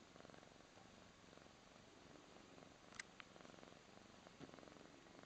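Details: A Birman cat purrs steadily, a soft low rumble of rapid pulses, while another cat gives it a massage-like grooming.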